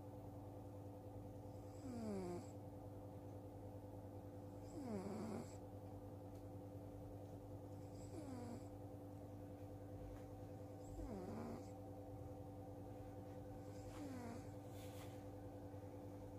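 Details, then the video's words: Cat in deep sleep, snoring steadily: five breathy snores about three seconds apart, each with a droning tone that dips low, set against a continuous low electrical-sounding hum. "Kucing Tidur Lena Berdengkur"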